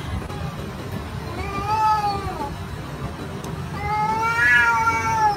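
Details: A house cat, featured among funny cat clips, lets out two plaintive meows, the first softer and falling, the second louder and arching, over steady background hiss.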